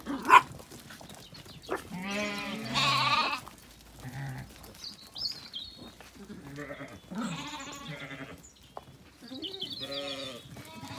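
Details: Zwartbles ewes and a lamb in County Kilkenny, Ireland, at sunset after feeding, lamb calling and ewe answering; several quavering bleats of varied pitch, some long and tremulous, with a sharp click at the start.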